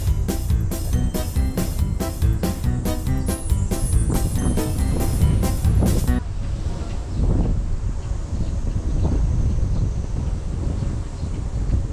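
Rhythmic music with a steady beat gives way to low rumbling background noise; no animal is heard.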